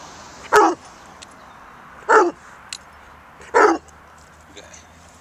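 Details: Otterhound talking for a treat: three short, loud, hoarse barking yowls roughly a second and a half apart, with a fainter fourth sound at the end and a small click between.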